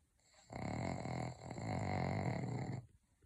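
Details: Pug dog snoring loudly: a continuous raspy, rumbling snore lasting over two seconds, deep and rattling with a slight dip midway, set against a quiet indoor background.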